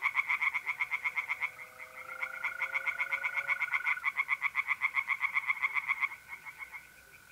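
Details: Night chorus of singing tree frogs in a north-east Italian pond during mid-April: fast rhythmic croaking pulses that fade away near the end, with mole crickets trilling steadily beneath.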